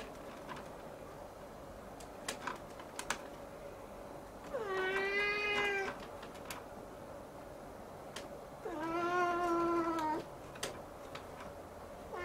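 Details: Young Siamese cat gazing at the ceiling, meowing insistently: two long, rich nyao calls lasting about one and a half seconds each, with scattered taps and clicks in between over a constant room hum.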